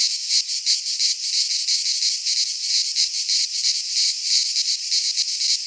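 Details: Cicadas singing in midsummer in a Greek pine forest: a dense, continuous high buzzing chorus with rapid pulsing swells about three times a second, no other sounds.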